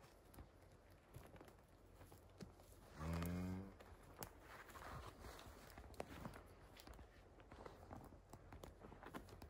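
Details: Highland cattle on a farm in Finland, a one-day-old calf following its mother cow through the forest, filmed 29 October 2022 on an iPhone 11: one short, low, harmonic moo lasting under a second, amid rustling footsteps on the forest floor.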